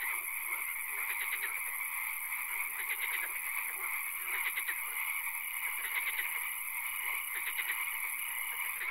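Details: Frogs calling in a night-time swamp with occasional rain: bursts of rapid clicking croaks come every second or so over a constant high-pitched hum and hiss of the chorus.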